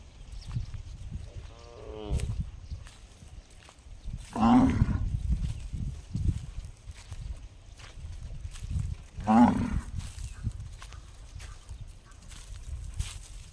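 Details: Funny gong-like calls from a cow: two short, resonant, rising bursts about five seconds apart, a fainter wavering sound earlier, and constant low rumbling background noise throughout.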